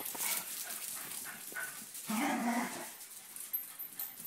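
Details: Two dogs, Binks and Shorts, wrestling in play; one barking because he wants to play. A short, rough, mid-pitched bark-growl bursts out midway, preceded by scuffling and breathy noises, with a voice speaking nearby.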